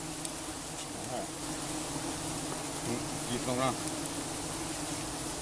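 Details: Giant honeybees during honey harvesting: a continuous swarm drone with bees darting past, one close fly-by at about three and a half seconds giving a rising, wavering buzz.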